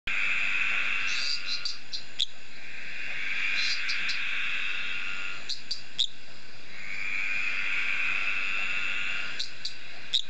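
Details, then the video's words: Shy male eastern dwarf tree frog calling to attract females: long creaking, buzzy trills lasting a few seconds each, broken by short sharp clicking pips, over a steady low background hum. "Litoria fallax male Tree Frog courtship calling"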